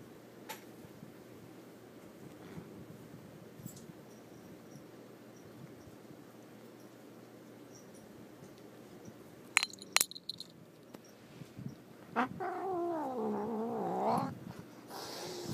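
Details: Bosco, a house cat displeased at being shut in the bedroom with catnip in a sock, is quiet for a long stretch, then after a few clinks gives a long quavering yowl that wobbles up and down for about two seconds.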